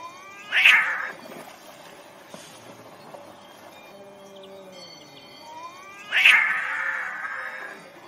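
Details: Angry domestic cats fighting over territory: two loud, harsh wailing yowls around one and six seconds, each rising and then trailing off, with quieter low growling and faint background murmur in between.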